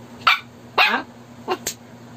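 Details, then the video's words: Shih Tzu reacting to a snoring prank, giving three short sharp barks spaced about half a second apart, then a brief high yip, over a steady low electrical hum. "SHIH TZU PRANK SNORING,RABIYA AND WRECKER REACTION"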